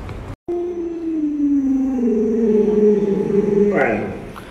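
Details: Pet Alaskan Malamute named Luoluo indoors: a long, steady, tonal howl that holds level, slides slightly lower, then lifts near the end. A woman's voice speaks Mandarin before and after.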